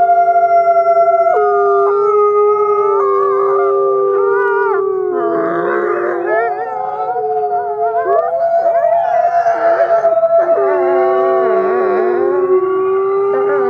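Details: A dense gray wolf chorus at dawn, Wolf Conservation Center, South Salem, New York, featuring ambassador wolf Nikai: many long howls overlap, while rough, warbling, yip-like bursts break in around the middle.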